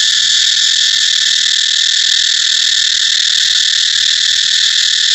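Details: Cicada droning in a loud, continuous, high-pitched buzz that holds perfectly steady throughout, with no pauses.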